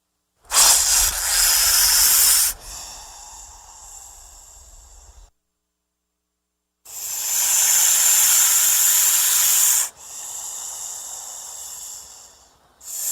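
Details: Threatened or frightened snake producing loud, sharp hisses: an intense burst of about two seconds trailing into a softer hiss, a few seconds of silence, then another strong three-second hiss followed by quieter exhalations.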